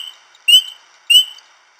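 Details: A spring peeper, a tiny frog heard in spring, gives two high, clear, slightly rising peeps about half a second apart, each short and piercing, with near silence around them.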